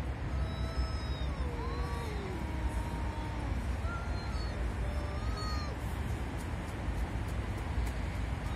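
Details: Angry cats facing off over territory: long, drawn-out wavering yowls that slide up and down in pitch, heard over a steady low rumble.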